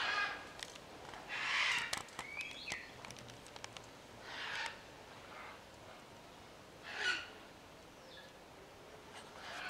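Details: Ring-tailed lemurs on Lemur Island at Opole Zoo, Poland, give short harsh bursts of calling, several spaced a few seconds apart, with faint clicks and distant bird chirps behind.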